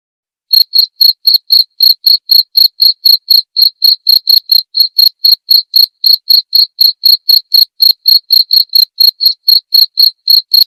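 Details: Cricket recorded as song-training and therapy audio for cage birds. After a brief silence, sharp high chirps start and run on in an even rhythm of roughly four per second. The background is otherwise silent.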